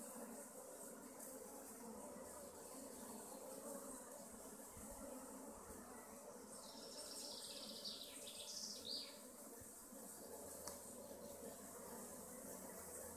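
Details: A continuous, even drone from honey bee colonies at hives in the west of Augsburg, Germany; a run of bright bird twitters rises over the buzzing in the second half.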